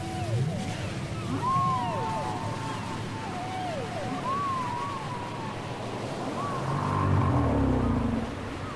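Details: Cassette recording of whale song with several arched, rising-then-falling whistled cries repeated across the clip, lower swooping moans beneath, and a low rumbling swell toward the end.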